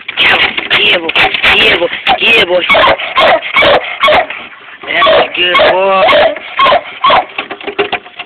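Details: A 7-month-old Treeing Walker Coonhound puppy barks at a raccoon tail, giving rapid, high, yelping barks rising and falling in quick bursts.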